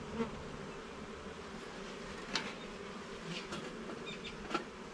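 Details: Garden beehive during an inspection of its levels and frames: a continuous low droning hum from many honey bees, with a few soft taps from handling.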